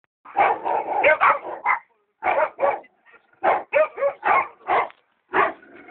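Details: Pit Bull dog on guard duty, barking in quick bursts: a run of rapid barks, a pause, then two barks, then another rapid series of sharp barks with short gaps, and a final single bark.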